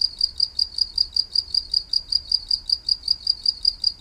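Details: A cricket-like call, described as coming from a green beetle, gives steady, high, pure-toned chirps repeated several times a second.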